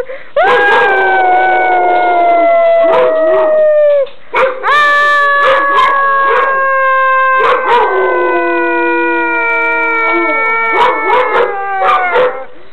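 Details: Long-haired and short-haired Weimaraners howl along with their owner in long, wavering, slightly falling tones, several voices overlapping.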